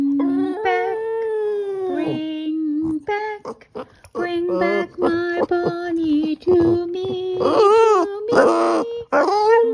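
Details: A Boston Terrier sings along as its owner sings "My Bonnie Lies Over the Ocean". Its howls come in broken, uneven bursts that slide upward and fall away, mixed with human singing and short pauses.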